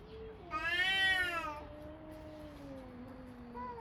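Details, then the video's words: Two domestic cats indoors: a loud, harmonic-rich meow swells and falls over about a second, overlapping a lower, long drawn-out moaning tone that slowly sinks for three seconds, with a short further meow starting at the end. "Two Cats Making Noises"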